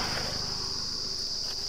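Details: Cricket calling in rural forest surroundings near Birsingha, Bankura, West Bengal, India, on the way to a forest resort; a steady high continuous trill runs throughout, with faint footsteps and low rumble beneath.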